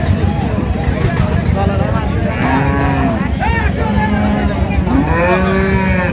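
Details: Dairy cows and calves of improved breed at the Raniganj cattle market in Dinajpur, recorded on 26/11/25; several drawn-out lowing moos with rising and falling tones over a constant din of crowd chatter and engine noise.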